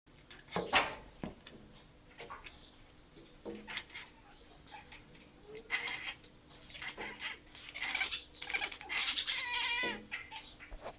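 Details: Two cats chirping at an animal spotted out the window: short broken chirps and chattering trills, with a longer warbling burst near the end, indoors with a steady low hum.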